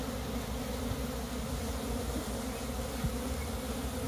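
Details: Steady massed droning of a wild honey bee colony that has split, heard during its transfer to a hive, a broad low hum with faint handling sounds.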